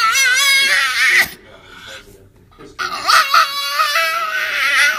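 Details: Dog asked what it wants and answering with peanut butter on its mind: loud, wavering, high whining cries with rising and falling pitch, a sharp break near one second, a short quiet pause, then a second run of warbling whines, indoors.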